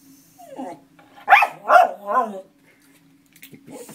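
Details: Dog singing: three short, rising-and-falling howling yelps in quick succession, loud and harmonic, followed by quieter whimpering sounds near the end; a faint steady hum underneath.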